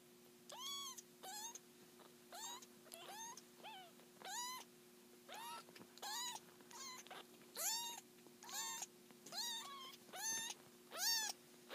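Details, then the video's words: Seven black-and-white foster kittens, about three weeks old, from a litter whose mother is a seal point snowshoe cat, waking up indoors; high, thin, rising-falling mews repeat roughly every second, overlapping, with a steady low hum behind. "3 Week Old Kittens Waking Up"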